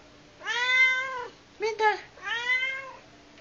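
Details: Domestic cat indoors calling its owner to the kitchen: three harmonic-rich meows, the first long and arching, a short middle one, then another long drawn-out meow, with a faint steady hum behind.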